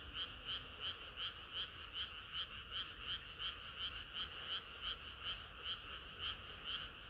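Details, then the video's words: Frogs singing together on a hot summer night, a dense chorus of pulsed croaks repeating roughly two to three times a second in a steady, throbbing rhythm, with overlapping voices blending into a continuous bright hum. "개구리들의 합창은 끝이 없어라"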